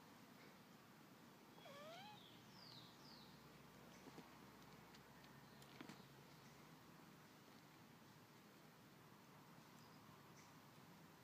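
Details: Mother cat playing with her kittens; one short meow near the start that rises then dips, with a few faint clicks and steady low background hiss for the rest of the recording.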